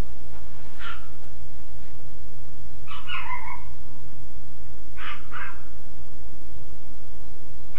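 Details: Dogs barking at 1:55 am on June 16, 2010, a nighttime session. Three short groups of barks come a couple of seconds apart, carrying over a constant low background hum.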